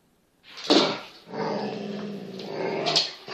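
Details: Kangal puppy, 8 months old, playing with a smaller cross Kangal; a rumbling growl rises after a sharp scuffle and holds for about two seconds before a snap-like bark.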